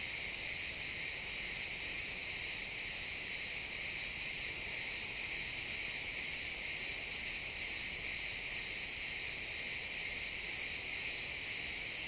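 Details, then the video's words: Chorus of crickets in pine woods at sunset, real-time XY stereo recording; continuous high-pitched chirping pulses roughly two per second, layered from many callers into a bright, even shimmer. "Cricket sounds in the pine forest"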